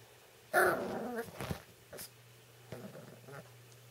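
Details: Seven-week-old American Cocker Spaniel puppy growling indoors as it playfully attacks a person's hands: one loud, rough, raspy growl burst, then a few softer short grunts and yips.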